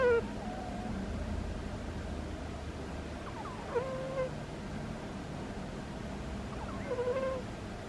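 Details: Sleeping pet cat Butters giving soft squeaky snores, three brief falling squeaks with short tonal tails spaced a few seconds apart, faint against a low background hum.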